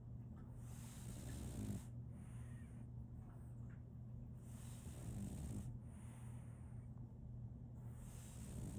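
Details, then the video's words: Snoring of a sleeping female French Bulldog named Solaimy: two or three gentle, raspy, drawn-out breaths spaced a few seconds apart, low and muffled, over a steady faint background hum. "RONQUIDO de un French Bulldog"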